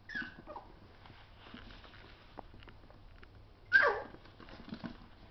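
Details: Schnauzer puppies play fighting indoors: a high whine sliding down near the start, then a sharp yelp around the fourth second, with scuffling and pattering between.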